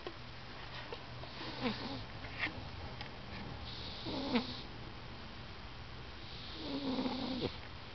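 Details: Male cat snoring loudly while napping and dreaming indoors. Soft, rasping breath snores come every two to three seconds, some with a short nasal whine, over a steady low hum.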